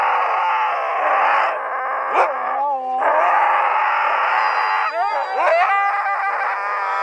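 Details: Several pet Siberian Huskies howling as a pack at night, dense overlapping sustained howls with wavering pitch, brief yips and whines breaking through the continuous chorus.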